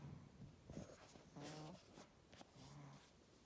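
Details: A Chihuahua asleep and snoring in its usual way: several brief, rough, low snorts and buzzy breaths in quick succession, with soft rustling between them.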